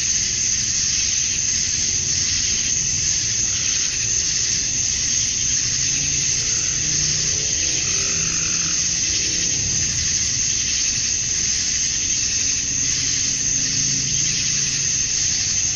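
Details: Many male cicadas calling for females at summer dusk in Georgia, USA; a constant high-pitched buzzing drone with gentle pulsing variations, joined by faint lower chirps and a quiet low rumble.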